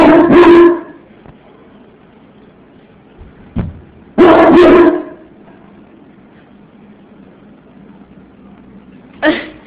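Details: English Mastiff barking: two deep, loud, booming barks about four seconds apart, each brief and rough, followed later by a shorter, quieter bark near the end; quiet room between.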